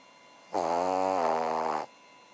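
A Cavalier King Charles Spaniel gives one long, low, buzzy snore on a steady breath.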